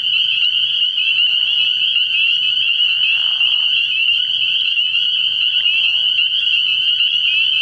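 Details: Frog pond at night early in the year, full of spring peepers: countless high-pitched peeps merge into a continuous piercing chorus, with a faint low hum in the background.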